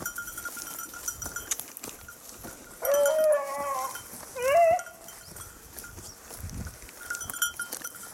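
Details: Hunting Beagle on 19 October 2022 after losing the hare: two loud, drawn-out harmonic bays about a second and a half apart, the first long and level, the second shorter and rising, over a steady high tone and faint clinking.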